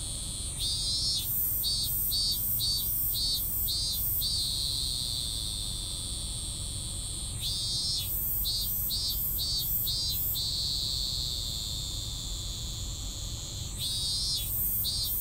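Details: Three bouts of a cicada's half-finished song, each a quick series of five or six pulsed buzzes trailing into a brief steady drone before stopping, against a constant shrill background chorus.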